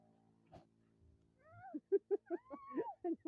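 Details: Pet goats kept by a young girl: after a quiet start with a faint knock, a quick run of short pulsed bleats, then a longer wavering bleat that rises and falls, and a few more clipped bleats to close.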